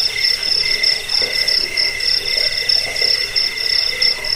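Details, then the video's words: Cricket chorus used to drive off rats, lull listeners to sleep and train songbirds: bright rapid pulses in a high band over a softer, lower trill, repeating without pause across the short stretch. "Suara jangkik pengusir tikus pengantar tidur"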